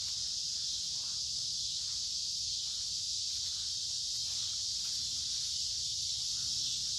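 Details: A dense chorus of cicadas along a woodland creek on a warm, humid midsummer day produces a steady, high, hissing drone that never breaks.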